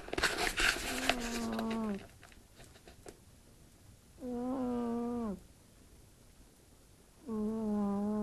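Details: Snores from Fırfır, a sleeping house cat said to sound like a person: three humming, harmonic breaths of about a second each, repeated every three seconds, with rustling and clicks at the start.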